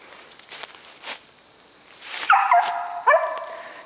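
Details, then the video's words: Two-year-old female Mountain Cur hunting dog treeing a squirrel in South Georgia on December 22: two loud, ringing barks near the end, each rising then falling in a rich tone, after faint rustles and soft thuds. "Powerline Voltage treeing!"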